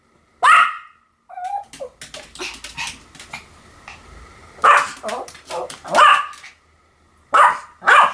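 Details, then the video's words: Pomeranian barking in sharp, high yaps: a single bark, a run of quieter, rapid yips, then loud barks at spaced, uneven intervals. "犬の鳴き声 ポメラニアン 1000回吠え Dog sound effect"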